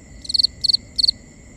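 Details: Crickets at night, binaural recording: three short pulsed chirps, high-pitched and bright, spaced about a third of a second apart, over faint steady high insect tones and a soft low background hiss.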